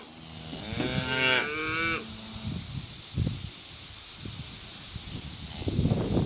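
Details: Cattle, cows with calves heading out to summer pasture: a loud harmonic moo around the first two seconds, then a lower drawn-out moo, followed by thuds and shuffling sounds of the herd moving.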